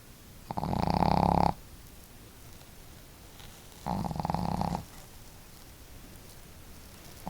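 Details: Snoring duet of household pet dogs Marimo, a female known for a bold snore, and the gentler Daigoro; two long raspy, humming snores about three seconds apart, separated by quiet breathing in a small room.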